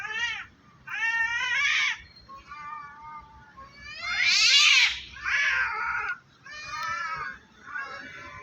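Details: Two cats, black and white, threatening each other up a tree before any real fight: repeated wailing yowls rise and fall, one loud strained cry in the middle, with faint people's voices and background noise underneath.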